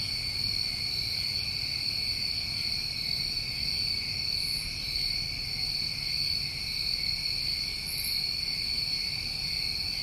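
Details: Summer crickets in New England, recorded outdoors: a continuous shrill ringing chorus holding even pitch throughout, with two short sharp buzzes rising above it and faint low background hum.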